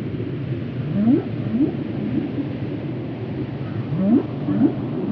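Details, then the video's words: Whale calls used as relaxation and sleep sounds: short upswept moans, four in five seconds, in two pairs, over a steady low underwater rumble. "Relaxing and mesmerizing whale sounds"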